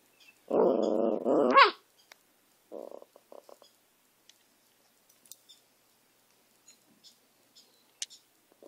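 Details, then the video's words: A dog gives a strained, wavering howl-like cry in two joined parts lasting over a second, then a short rough bark-like burst, followed by scattered faint clicks and quiet. "Benny howling and barking."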